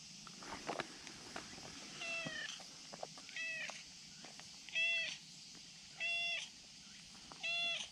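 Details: Friendly brown tabby-and-white stray cat on a risky slope spot, calling to be petted: short harmonic meows with a downward curl, repeated roughly every 1.3 seconds, over a steady high insect-like hiss outdoors.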